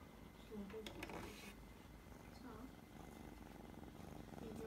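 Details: Kitten purring while being petted on the forehead indoors, a steady low rumbling purr running through the whole stretch, with a few faint soft clicks and rustles of handling near the start.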